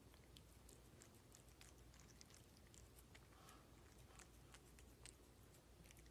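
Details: Cat chewing food at close range for ASMR, giving scattered sharp crunches and wet clicks at an uneven pace over a low, steady background hum.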